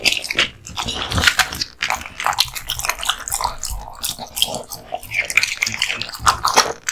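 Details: American Bully (pit bull type), a male dog, eating raw meat and bones; wet crunching, tearing bites and gnawing come in irregular bursts, with sharp cracks of bone between softer chewing.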